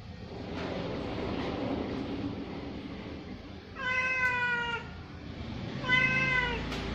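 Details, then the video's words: Orange cat meowing during sahur, the pre-dawn meal, while being fed: two drawn-out, slightly falling meows about two seconds apart, rich in harmonics, over a steady low indoor hum. "SAHUR BARENG KUCING OREN"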